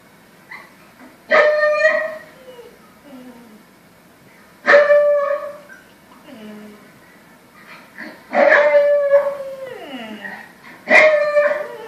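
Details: Samoyed dog howling at a television indoors: four drawn-out, tonal howls a few seconds apart, each opening strongly and then sliding down in pitch as it fades, with quiet gaps between.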